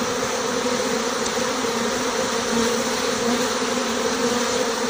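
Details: Departure of a honey bee swarm with its white-dot-marked queen from a six-frame nucleus hive, recorded on the spot; an intense, uniform buzz with a low steady tone and a hissy upper layer, continuous from start to finish.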